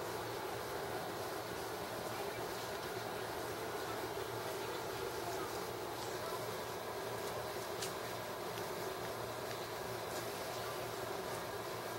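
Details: Steady broadband hiss with a faint low hum and occasional soft clicks and taps, no animal voices heard.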